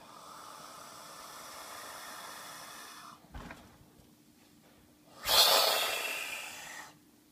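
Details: Ramsey, an angry baby boa constrictor refusing his meal in the evening, hisses: one long, forceful, breathy hiss lasting over a second near the end, after quieter airy hissing and a short soft bump.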